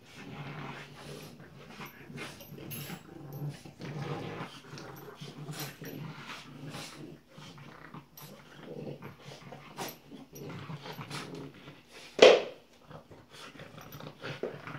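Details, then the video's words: Two French Bulldog puppies, Tinkerbell and Woody, wrestling in play: low rumbling growls and grunting huffs run almost continuously, broken near the end by one sudden loud sharp yelp-like burst, then quieter growling resumes. "French Bulldog puppies, Tinkerbell and Woody playing."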